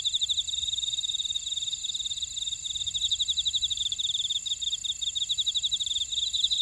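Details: Chorus of field insects in a Jeju buckwheat field, Ora-dong, South Korea, with fast repeated chirps pulsing steadily and continuous shrill trilling layered above, some low background hum.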